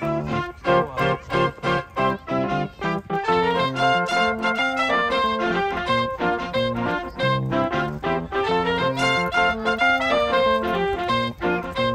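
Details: Bowed-string and plucked instrumental music fills the whole stretch, with steady rhythmic notes and no animal voice.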